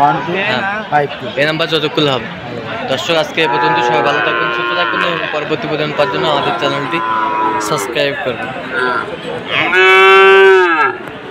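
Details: Sahiwal bull calves at a farmer's purchase in Khulna, Bangladesh, 7 January: several sustained, bellowing moos, the last one loud and strong near the end, mixed with people speaking close by.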